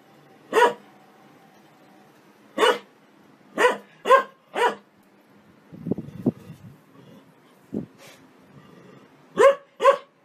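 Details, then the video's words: Playful happy dog barking out loud for fun, loud single barks and short bursts of two or three, separated by a quieter stretch of low rumbling, growl-like sounds. "Dogs barking out loud for fun happy dogs"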